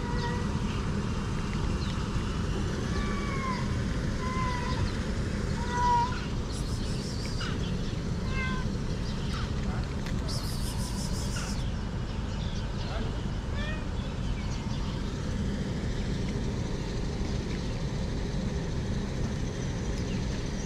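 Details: Hungry cats, six gathered in a garden in Morocco, give short, arching meows in a cluster early on, then a few scattered later meows, over a constant low rumble with brief clattering noises.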